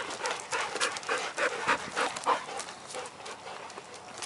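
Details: A dog pants hard during a game of ball in Ann Arbor, breaths coming about three per second in an even rhythm, breathy puffs that fade slightly toward the end.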